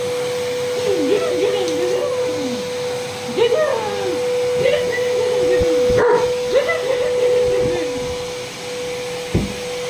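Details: Male double-coated working-line German Shepherd reacting to a running vacuum cleaner indoors: wavering, moaning whines and howl-like yelps rise and fall in repeated bursts over the machine's loud, steady drone.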